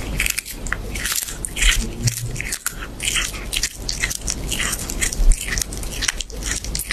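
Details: Cat chewing raw fish, a steady run of crisp crunches and wet bites packed closely together, with loud sharp crackles over a low background rumble.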